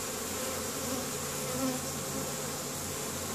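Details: Worker honey bees at the hive on a May day in Caribou, Nova Scotia, bringing in pollen for the colony; a constant, layered buzz of many wings, steady in loudness throughout.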